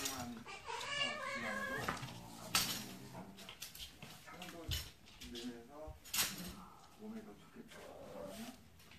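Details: Arong the cat playing with a kitten indoors: short, bending meows and a harsher caterwaul-like cry, with talking and a few sharp knocks in between.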